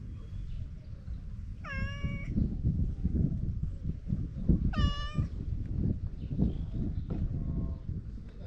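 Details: Talkative stray cat being petted outdoors, giving two clear, drawn-out harmonic meows about three seconds apart over a steady low rumble of wind and handling noise.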